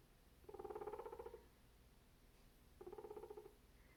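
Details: A guinea pig eating cantaloupe gives two bursts of a low, buzzing, rapidly throbbing purr, each lasting about a second. The grumpy, vibrating tone signals irritation, which the owner suspects comes from background noise.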